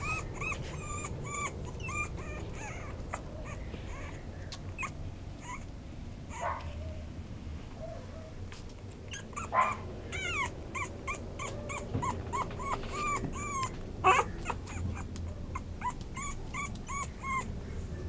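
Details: Toy Poodle yelping in long runs of short, high, bent whines, about three a second, pausing briefly midway before resuming more insistently; a few louder sharp yips stand out, with a low hum underneath.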